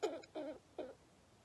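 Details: A baby squirrel with pneumonia gives three short, harsh, wheezy squeaks, each clogged and rasping.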